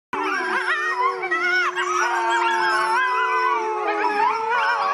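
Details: Several red wolves (Canis rufus) howl together in long, wavering, overlapping tones that slide up and down.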